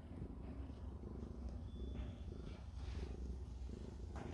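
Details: Mother cat Ji-Soon lying with her one-day-old newborn kittens as they nurse, all healthy, at home. A steady, deep, rumbling purr fills the low range throughout, with soft rustling and a faint high tone above.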